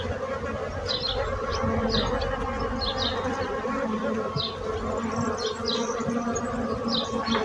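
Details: Bees produce a dense, continuous buzzing hum while quick bird chirps sound repeatedly behind it.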